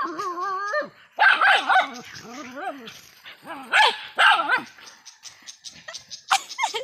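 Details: Dogs playing with goats in a small backyard farm, giving yelping, whining barks with wavering pitch, several bursts over about seven seconds, some overlapping calls and faint background noise.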